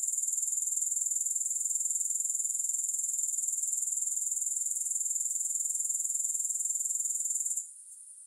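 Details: Grasshoppers, recorded with no music, keep up an unbroken high, rapid, evenly pulsed buzzing for over seven seconds before the sound cuts off sharply near the end.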